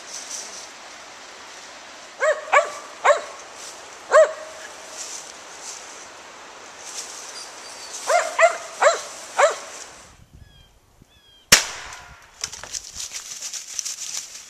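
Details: Gray's Mountain Feist named Daisy hunting squirrels in woodland, giving two clusters of sharp barks, three to four each, separated by a quiet gap, then a loud knock and rustling.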